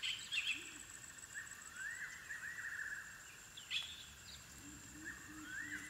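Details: Squeaky twitters and upward-sliding whines from African wild dog puppies at the den, with quiet gaps and a constant high insect drone behind them.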